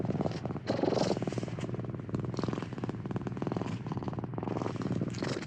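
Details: A cat purring steadily: a continuous low, throaty rumble of rapid even pulses that swells and eases with each breath, with brief softer gaps between breaths and no other clear sounds.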